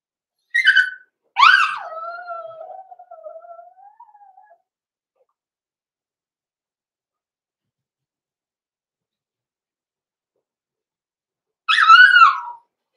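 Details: Six-week-old blenheim Cavalier King Charles Spaniel puppies in an indoor puppy pen, litter born November 14, 2022: two sharp high yips, then a long wavering whine sliding downward, and after a quiet gap another brief rising-falling yelp.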